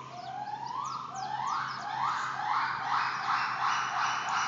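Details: Captive gibbons at Stone Zoo calling: a rapid series of rising whooping notes, each sweeping upward and repeating about three times a second, building in pitch and intensity, with loud overlapping voices over a low steady hum.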